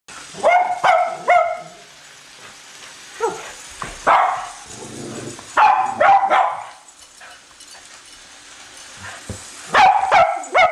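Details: Two Cavalier King Charles Spaniels, Colby and Shelby, chasing a new toy train around a Christmas tree indoors; sharp high barks and yips come in quick irregular bursts, with brief gaps and a soft hiss of the train between.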